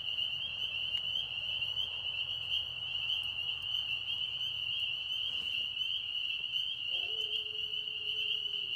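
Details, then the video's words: Frogs singing in a pond in Tennessee produce a steady shrill high-pitched chorus, with a lower drawn-out tone joining briefly near the end. "Tennessee Frogs Singing"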